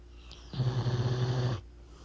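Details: Pit bull snoring loudly while asleep: one low, rattling snore of about a second, a rough vibrating buzz pulsing quickly, set against faint steady room hum.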